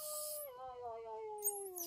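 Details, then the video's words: Newborn baby monkey calling in response to its mother: one sustained, clear tonal cry rich in harmonics, holding steady and then sliding gently lower in pitch over about two seconds, with a faint high hiss at the edges. "Amzing NB Baby Monkey Talking Respond Mom With Str0ng Bond Of LUV"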